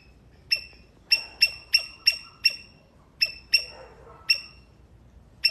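A Sri Lankan palm squirrel gives sharp, high chipping calls, repeated in quick irregular bursts.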